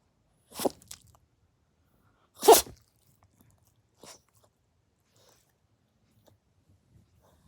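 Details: A Dachshund mix dog sneezes: two sharp, explosive broadband bursts about two seconds apart, the second louder, followed by a faint snort, in an otherwise quiet room.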